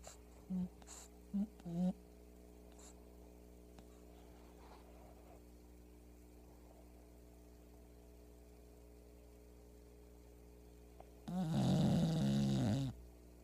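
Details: Pebbles the sleeping female English Bulldog gives a few short snorting breaths early, then a long quiet pause before one loud, rough, buzzing snore near the end, heard in a small indoor room.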